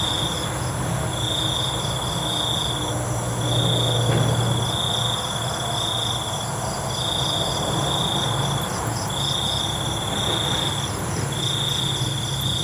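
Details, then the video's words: Nighttime crickets giving high, buzzy trills in quick succession, each about a second long with short gaps, over a pulsing insect background and a low mechanical-sounding hum. "ALUNAN CENGKERIK MALAM"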